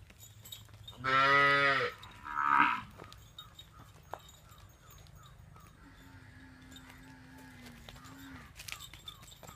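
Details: Punganur calf mooing: two loud, harmonic moos close together, the first longer and lower, the second shorter and higher, followed by a quieter long steady tone and faint background clatter.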